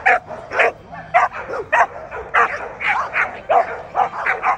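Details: Barking at the 2024 ADBA Tristate American Pit Bull Terrier confirmation show, 12–18 months female class: loud, clipped barks roughly every half second, some with a yelping edge, in a hall-like setting.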